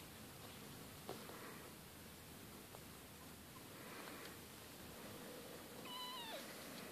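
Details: Siberian kittens from a litter of Kate and Bessie, growing fast, give a single descending, slightly wavering meow near the end, following a quiet stretch with soft rustling and faint background hiss.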